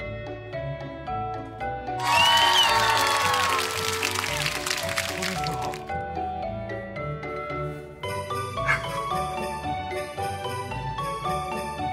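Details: Bright tinkling music of glockenspiel and mallet tones plays throughout, with a brief burst of jingling and faint speech; no animal calls are heard.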